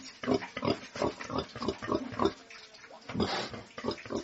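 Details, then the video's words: Pigs on a farm uttering quick, clipped grunts roughly three per second, then a pause filled by a splashing, hissing burst before the grunting resumes. "SOUND OF PORK - PIGS ON THE FARM"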